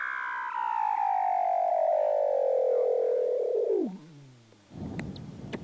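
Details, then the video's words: A Weddell seal, either an adult male or a practicing pup, gives a long, eerie whistle that glides steadily downward before dropping into a low growl. "Eerie Vocals of Weddell Seal Pup & Adult"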